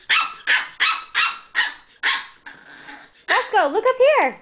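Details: Chihuahuas at play, several dogs together: six sharp, bright barks, evenly spaced about every 0.4 seconds, then a brief pause before a person's voice rises and falls over the final second.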